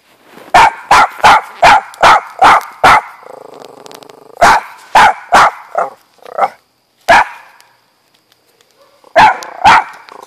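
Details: Rapid volleys of loud, punchy barks from the dog Auggie, known for barking too much. Two fast runs of about six barks each, separated by a softer whining stretch, then a final double bark.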